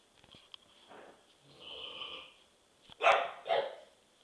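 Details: Domestic dog barking chronically and annoyingly: soft scuffling and sniffing at first, then two sharp, loud barks about half a second apart near the end.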